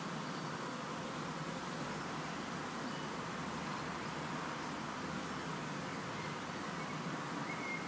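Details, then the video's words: Honey bee swarm, part of one collected on World Bee Day 2019: a dense, continuous droning hum of many insects that stays steady and unbroken throughout, with no other distinct sounds standing out. "Huge swarm of honeybees"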